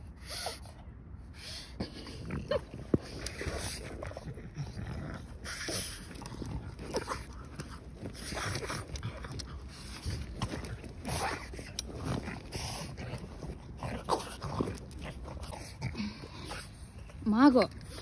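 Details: Margo, a female French Bulldog on a walk, excited over a trophy ball she has found: repeated snuffling and snorting bursts, ending in a short rising whine, with footsteps and outdoor background noise.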